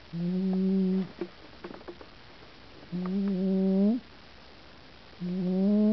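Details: Pooper the cat snoring while asleep, recorded 16 June 2009: three droning, buzzy tonal snores about a second long each, steady then briefly rising at the end, separated by quiet pauses with soft clicks.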